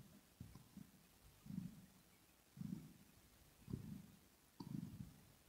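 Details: Relaxed kitten purring, recorded ear to ear. Gentle low rumbles pulse at an even breathing pace, with a couple of faint clicks from grooming.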